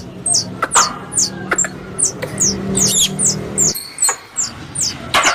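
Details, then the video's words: Indonesian squirrel lure recording: rapid high-pitched squeaks sliding downward, repeated quickly and unevenly with clicks between them, over a low hum that cuts out partway through. "Suara Tupai 3 In One Terbaru Sebagai Penyempurna Suara Pancingan Tupai"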